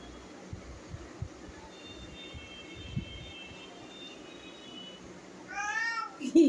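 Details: Domestic cat indoors, mostly quiet room tone with a faint high thin tone, then a short clear meow bending up and down near the end, followed by a sharp knock.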